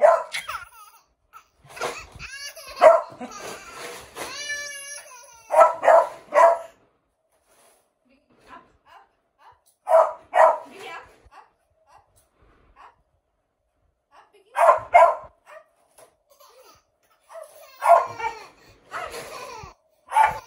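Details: Biggy, a male KCI-registered beagle, barks indoors in a small room near a baby: short, sharp bursts come in clusters every few seconds, with a longer wavering harmonic cry early on and some quiet speech between.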